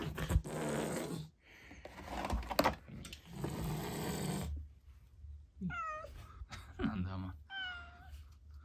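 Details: Female rescue cat Chloe, once a trapped kitten who avoided humans for six years, gives several clear drawn-out meows that fall in pitch, following a stretch of loud rustling and muffled voice indoors.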